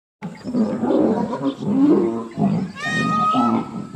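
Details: Asiatic lion at Gir National Park, Sasan Gir, Devaliya safari park: deep, rough, growling roar rumbling in pulses for about three seconds. A brief higher harmonic cry overlaps near the end.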